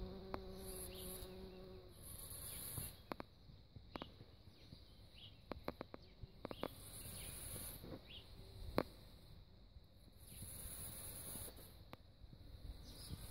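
A bumblebee's low, humming buzz comes and goes, with soft clicks and a faint high hiss behind.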